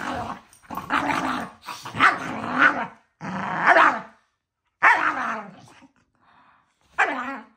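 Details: Pair of household dogs roughhousing at bedtime: a string of harsh, rising-and-falling growls and snarls. The bursts break off into brief silences, ending with one short yelping snarl.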